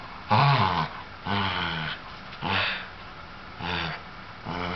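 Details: An older sable Shetland sheepdog, feeling playful and wanting to play with a younger ginger tabby cat, gives harsh, growly barks about once each second.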